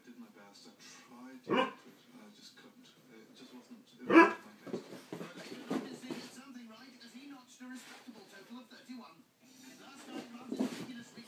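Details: A Miniature Pinscher pestering a Doberman, the pair named Lola and Twix. Two sharp, loud barks stand out at about 1.5 and 4 seconds, with softer dog noises between and people talking throughout.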